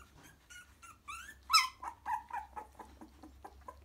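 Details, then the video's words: Nest of 3-week-old Cockapoo puppies coming to their mother and settling, thin high squeaky whimpers and whines, one rising cry peaking loudly, then a run of short soft squeaks repeated about four per second, with a low indoor hum. "3 week old cockapoo puppies with live sound"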